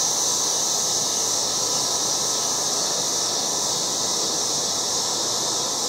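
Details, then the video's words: Loud cicadas in a yard in August, a dense, steady high buzzing drone that holds without a break or change in pitch from start to finish, with no other clear sounds. "LOUD AUGUST YARD CICADAS"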